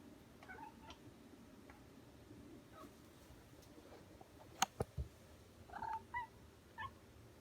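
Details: Domestic cat indoors sitting by a window, apparently mad at something: short chirping, meow-like calls near the end, a couple of sharp clicks midway, over a steady low room hum.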